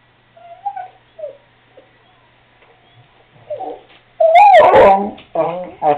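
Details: Seamus, a Cardigan Welsh Corgi, asking to go outside: soft short whimpers, then a loud yelping bark and warbling whines at the end.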